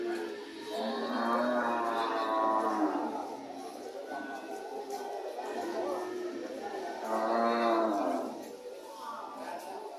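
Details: Cows mooing among market noise, two drawn-out harmonic moos about six seconds apart, each swelling then fading, over constant crowd murmur.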